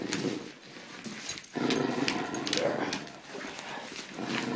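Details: Great Dane named Ramses growling while playing tug of war with a pink poodle toy; rough, rumbling growls run almost continuously in uneven surges, with scraping and rattling play noises layered over them.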